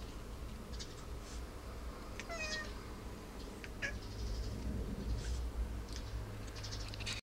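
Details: Domestic cat talking at birds: a soft clear meow falling in pitch at about two seconds, followed by a few faint short chirps and scattered clicks over a low background hum.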